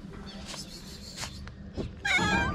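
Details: Jealous calico street cat in Morocco keeping another cat away, a brief cluster of tonal meow-like calls at the end over soft background rumble.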